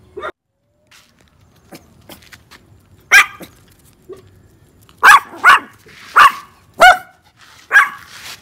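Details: Thai Bangkaew dogs bark in short, sharp bursts about every half second to a second; one dog barks, then a companion joins in.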